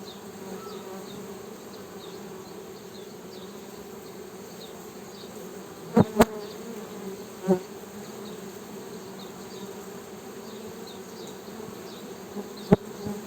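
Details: Honey bees droning in an unbroken low hum, interrupted by several sharp clicks or knocks near the middle and end, with faint high chirps in the background.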